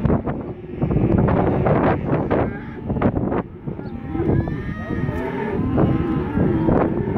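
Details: Group of black Angus bull calves, 67 head at 180–190 kg, giving scattered wavering moos amid heavy clatter and knocks, with a faint voice possibly in the background.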